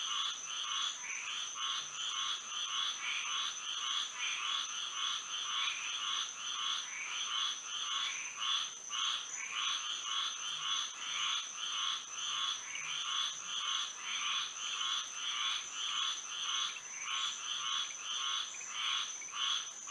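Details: Moonlit Florida night with many frogs calling together in dense, overlapping rows of short, ringing croaks that barely pause, all set over an unbroken high-pitched insect drone.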